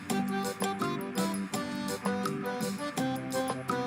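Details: Upbeat instrumental music with steady plucked and struck notes plays throughout, and no animal sounds are heard.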